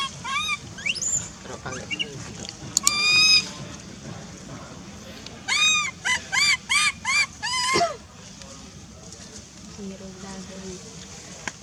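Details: Wild baby monkey named Lizza in the forest of the Angkor Park area, crying loudly to call its mother while hungry: loud, arched, tonal wails with rich overtones, scattered early, then a rapid run of five cries mid-clip, over a low background rumble.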